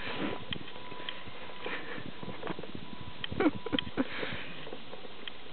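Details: Karelian Bear Dog puppy Brewski playing in snow in a back yard, snuffling at the ground: short breathy bursts of sniffs, clustered and louder in the second half, with soft crunching between them and a man's voice nearby.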